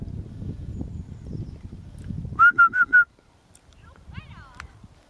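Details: A little dog barking in greeting while waiting for Olle and its mistress after a short walk on a nice day; four quick, high-pitched yips in under a second, preceded by low murmuring voices and followed by quiet.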